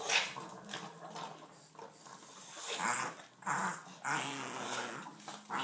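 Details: Chihuahua going crazy over ice cream while being fed indoors; a low, rumbling growl runs through the clip, swelling in louder bursts around the third and fourth seconds, with small shuffling noises between.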